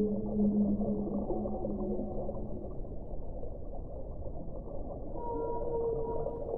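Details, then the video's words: Whale song: sustained tonal moans at the start, a quieter rumbling stretch, then a higher held tonal note toward the end, over constant low underwater noise. "1 ora di suono delle balene"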